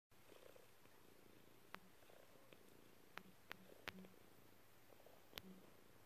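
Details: Dexter, a snuggly pet cat, purrs on a lap while kneading with happy paws: a steady low rumbling purr with short chirpy notes and a few sharp clicks.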